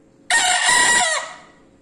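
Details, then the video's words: Loud, frequent-crowing wido bekisar cockerel gives one harsh, rasping crow. It bursts on suddenly, stays strong and level for nearly a second, then trails off quickly. Quiet surroundings with low hum. "AYAM BEKISAR WIDO GACOR KERAS"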